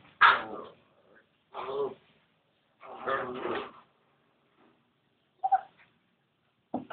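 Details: Litter of thirteen newborn Labrador Retriever puppies: a handful of harsh, broadband whimpering cries, each about half a second to a second long, spaced irregularly with short silences between them.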